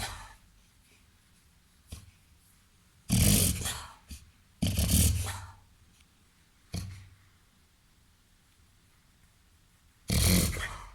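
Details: Labrador mixed with golden retriever and Weimaraner, a 21-month-old, 30 kg pet dog indoors, reverse sneezing: harsh, noisy snorting bursts of about a second each, two close together, then a pause and one more, with fainter short snorts between.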